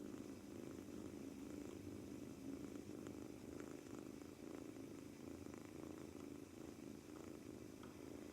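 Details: British Shorthair male kitten, two months old, on his first day in a new home, kneading and purring throughout, maybe from nervousness; quiet continuous low rumble with light scattered clicks and rustles.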